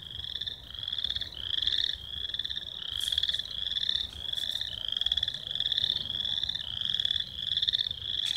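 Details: Several American toads at Lone Lake, Minnetonka, Minnesota, in early May 2016 give high, steady musical trills that overlap into a continuous chorus.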